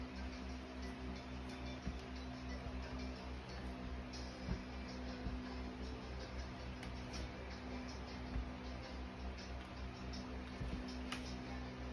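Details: Steady music over a low electrical hum, with faint speech and light ticking, and no animal voice.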